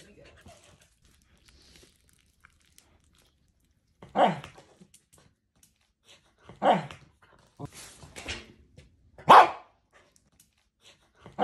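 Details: Corgi during a burst of zoomies indoors: short, loud, broadband barks at irregular intervals of one to three seconds, separated by quiet stretches, with faint movement sounds in a small room.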